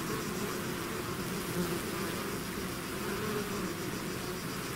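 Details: Steady hum of a bee swarm leaving the hive, thick continuous droning with faint higher whine above, even in loudness from start to finish.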